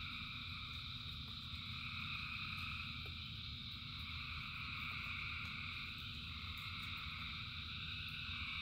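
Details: Thousands of frogs heard as a steady shimmering chorus in rainfall, high layered calls without pause, low rain roar beneath and brief clicking drops.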